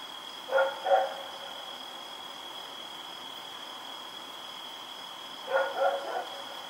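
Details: Night barking by Rex, a dog running around, recorded October 7, 2018: a pair of barks, a long gap, then three quick barks, under a steady high-pitched hum.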